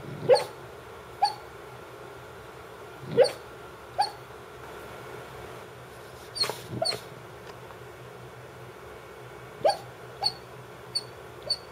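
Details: Sleeping female Brittany Spaniel, otherwise silent when awake, letting out a series of about a dozen brief, muffled yips and soft woofs, some in quick pairs, with uneven pauses, over a faint steady room hum.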